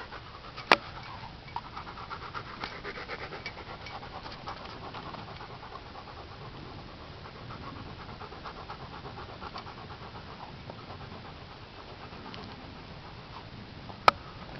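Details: Siberian Husky x wolf hybrid panting softly and rhythmically while watching a dung beetle build its home, the breathing steady and quiet under a few sharp clicks.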